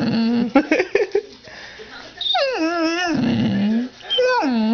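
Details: Pet dog, trained the same day to say "mom", indoors in a messy room; a whining, wavering howl rises then slides down in long harmonic sweeps, followed by a second shorter drawn-out whine after a brief pause, with a person talking early on.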